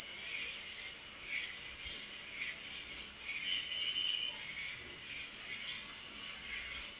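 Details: Night chorus of crickets, an unbroken high-pitched ringing trill with faint, lower pulsing chirps scattered beneath it.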